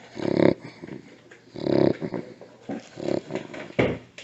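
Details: Pet dog Bentley in an anxiety attack that comes on randomly, not from separation or eating, sounding like retching with nothing coming up. Harsh, rasping, snorting gags repeat roughly every second and a half, rising and falling in loudness, in a small room.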